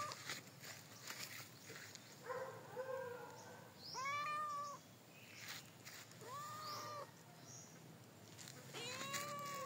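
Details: Cat in the countryside uttering several arched, nasal meows spaced a couple of seconds apart, each rising then falling, against steady hiss and rustling background noise.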